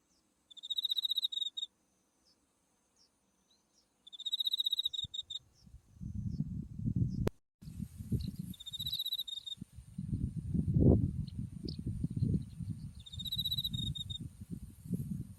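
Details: Autumn insect voices from a white buckwheat field in Japan near Mount Tsukuba. Short high trills repeat every few seconds; a sharp click interrupts midway, then strong wind rumble rises under continuing trills.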